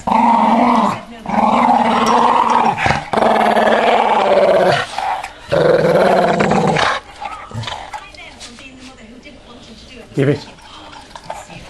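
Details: Male Staffordshire bull terrier play growling while refusing to give up a ball and tussling with a person's finger: long, rumbling, harmonic growls in sustained bursts for about seven seconds, then quieter sounds and brief human speech.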